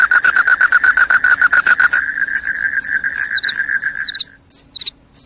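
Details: Shrill cricket chirps, which are said to keep rats away and make people sleepy, pulse quickly over a lower, rapid trill that fades after four seconds, leaving the high chirps alone.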